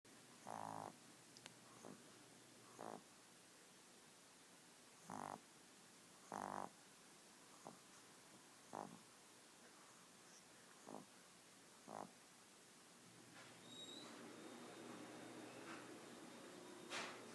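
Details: Elderly 12-year-old pet female Pomeranian, who has begun snoring in old age: rough, short snores repeated about every one to two seconds, then the snores stop as she slowly wakes, leaving soft rustling and faint background hiss.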